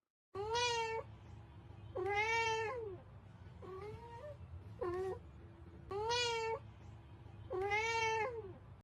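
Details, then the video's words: Stray kitten, picked up while hungry and ill, meowing indoors: five loud, drawn-out meows with a rising then falling shape, plus a softer, shorter mew, spaced about every one to two seconds against a faint low hum. "Kittens Cats Meowing"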